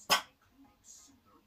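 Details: A Miniature Schnauzer puppy barking for the first time lets out a single sharp, high yap, then quiet.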